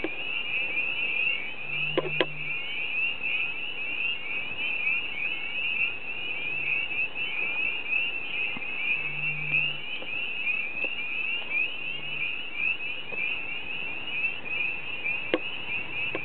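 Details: Night sounds at a pond, thought to be frogs: a dense, high trilling chorus with a few low, short croaks beneath it.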